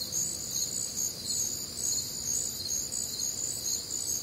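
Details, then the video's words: Night-time crickets in humid Midwestern summer warmth, many insects chirping together in a bright, rapid, pulsing trill that swells and dips about twice a second, over a quiet low background. "Night Time Cricket Sounds"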